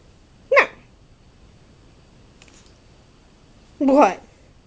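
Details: Axel, an 11-week-old German Shorthaired Pointer puppy, plays wildly on an office sofa, attacking the couch. Two short, sharp puppy barks come about three seconds apart, the second longer and rougher, in a quiet indoor room.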